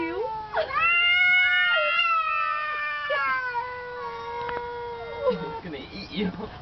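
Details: Pet cat and a neighbouring cat trading calls, one growing louder and screaming; drawn-out nasal yowls sliding upward then sagging slowly over several seconds, ending in softer broken sounds, a man speaking faintly.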